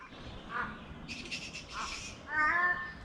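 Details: Bats in a park in Brisbane, Australia, described as massive, give harsh, raspy screeches and a brief nasal squawk in quick, scattered bursts.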